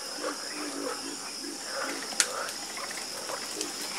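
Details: Frogs croaking in a loose chorus, short low throaty croaks scattered through the clip, one sharp click near the middle, a constant high hiss behind.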